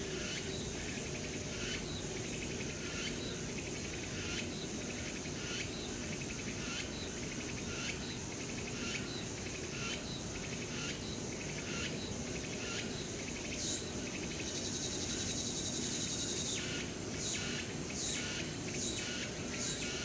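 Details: Chorus of many cicadas singing in late summer in the woods of Changgyeonggung Palace, Seoul, South Korea: a dense, shrill, continuous buzzing that pulses roughly once a second, with a brief thin whistled streak near the end over a low background rumble.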